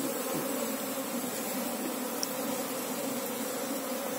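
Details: Buzzing of an Apis cerana honey bee colony as its queen is sought; a continuous, unchanging drone of many wings with strong low, even tones and no breaks.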